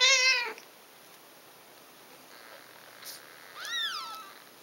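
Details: Five-day-old Ragdoll kittens from a litter of six, indoors with their mother: a loud, high, harmonic mew slides downward in the first half-second, then after a quiet pause a second, softer arched mew falls away.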